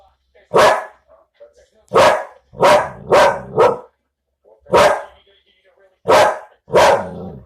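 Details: Domestic dog barking in short, sharp bursts: eight loud barks in about seven seconds, some in quick pairs or triplets and others spaced more than a second apart, with quiet gaps between.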